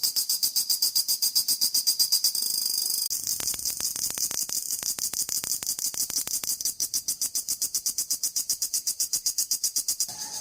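A cicada gives a loud, high buzzing call made of rapid, evenly pulsed chirps.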